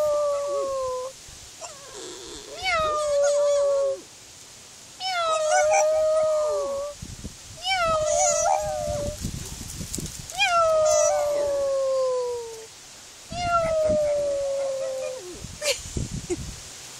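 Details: Pet pug copying a cat's meow alongside its owner: a series of sliding, whiny harmonic cries, some falling at the end, in about seven bursts separated by short pauses, with a quiet indoor background.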